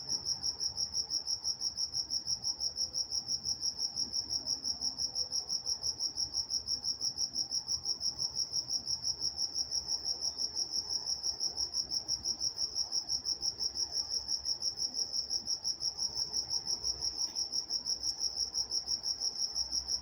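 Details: Walnut, California at night: crickets trill in a continuous high, rhythmic chirp, pulses arriving about three times a second, with a faint high overtone and a brief soft click near the end.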